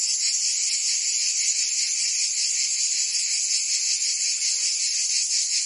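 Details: Provence cicadas in summer: an unbroken, piercing, high-pitched buzz from many insects together, gently wavering and throbbing, steady loudness and nothing else audible.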